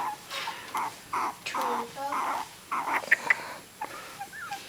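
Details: Three-week-old puppies, their eyes newly open, give short high whining squeals in separate bursts, some with falling tones, about one every half second, with a quiet room behind.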